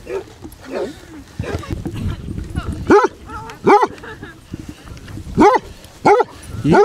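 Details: Basset Hounds out on a group walk of 23 dogs covering 5 miles around Ham Hill, Somerset; deep, arched bays and barks repeat irregularly, several loud ones near the end, with a human voice faintly underneath.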